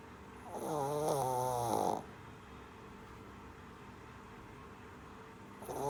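A sleeping Shih Tzu puppy gives a wavering, slightly whiny snore, followed by quiet breathing.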